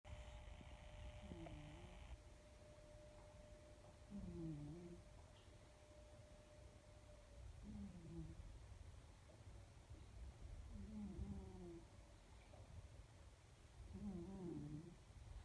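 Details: Pet cat Yoshi asleep and snoring: low, rough, slightly tonal snores roughly every three seconds, each short and double-pulsed, over a quiet room hum with a faint steady tone early on.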